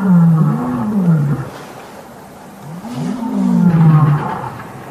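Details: Male lions of the Birmingham coalition challenging the Matimba males at the start of a takeover, 5 August 2015. Two deep, drawn-out roars, each a low sliding moan that rises and then falls, separated by a quiet gap.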